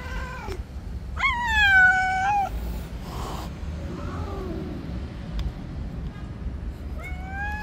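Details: Stray cats attacking each other in a white cat's territory outdoors: a loud, strained, harmonic-rich yowl, a brief hissing noise burst, softer murmurs, then another rising meow starting at the end.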